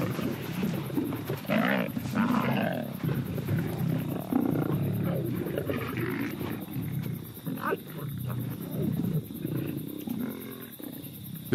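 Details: Two nomadic male lions give deep, rasping growls and snarls that rumble on without a break and rise into harsher bursts as they attack a lone lioness with a broken leg, separated from her pride after giving birth.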